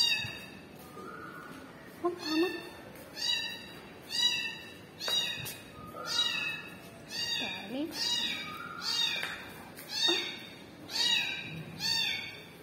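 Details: Small kitten crying for its mother: high, thin, harmonic meows, each slightly rising then falling, repeated about once a second, with soft human speech in the background.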